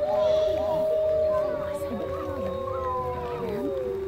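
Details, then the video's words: At Woodland Park Zoo a wolf pack howls: two long, steady, sustained tones held together, one slowly sliding lower, with shorter dipping yelps underneath. "Wolf pack howling"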